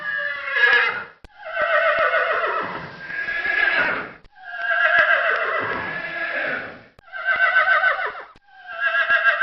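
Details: Repeated horse whinnies, about five drawn-out shrill neighs that waver and fall in pitch, one running into the next with only brief pauses.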